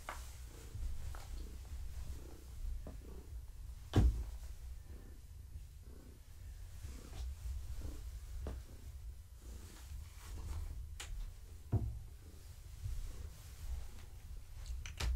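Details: Gaia, a pregnant long-haired tabby cat, purring indoors in the evening while being petted and scratched; a steady low rumbling purr runs throughout, pulsing with her breathing, broken by occasional sharp clicks and rustles.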